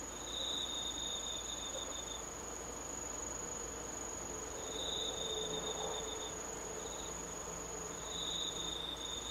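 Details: Autumn insect chorus beneath the moon, 19 August 2013: one unbroken very high pure ringing tone throughout, overlaid by lower trilled bursts of one to two seconds, recurring with gaps, and a faint low hum.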